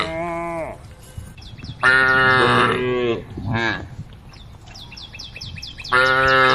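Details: Female cow on a forest road calling a herd of tame cows: three loud, harmonic moos, the first falling at its end, the middle one long and rich, the last starting near the end, with a faint chirping in between.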